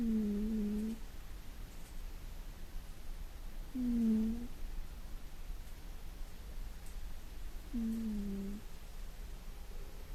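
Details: A household cat in deep sleep gives loud snores. Three low, droning snores come roughly every four seconds, each under a second long, steady in pitch. Otherwise the room is quiet.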